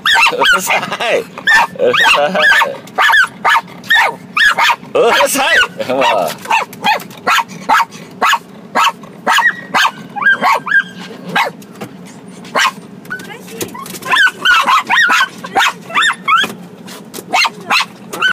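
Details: Pet dogs Sanshin and Sango in joyful excitement at meeting their mama. A steady stream of short, yappy barks, some close together and some spaced out, with human voices talking underneath.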